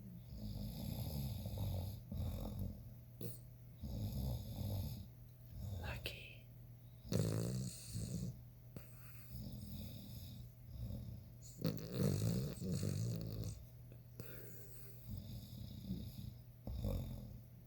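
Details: A male ruby Cavalier King Charles Spaniel snores in low, rumbling bursts every few seconds while in deep sleep with his eyes open.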